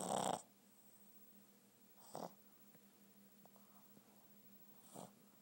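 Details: Boston terrier snoring while asleep: three short, rough, noisy snore bursts about two to three seconds apart, each louder at the start, with a steady low hum and near-silence between breaths.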